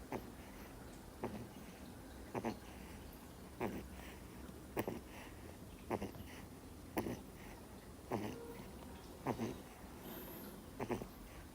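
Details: Sleeping Miniature Schnauzer puppy, two months old, snoring in deep sleep: about ten soft, noisy snorts repeating roughly every 1.2 seconds, with a low room hum underneath.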